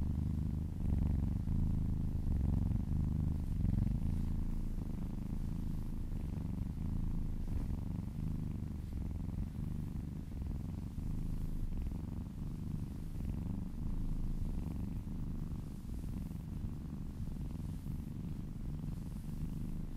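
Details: Kitten or cat purring while being massaged, a low vibrating rumble that runs unbroken, pulsing about four times per second with gentle rises and falls across breaths.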